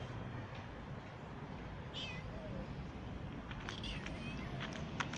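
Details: Street mother cat that has just given birth gives a single short meow in wavering falling notes, while a person calls and offers food outdoors, with steady background traffic rumble.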